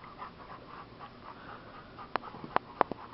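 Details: Rascal, a dog enjoying a break from rough play with his bigger sister, pants in quick soft breathy bursts about four times a second, followed by several sharp tapping clicks near the end.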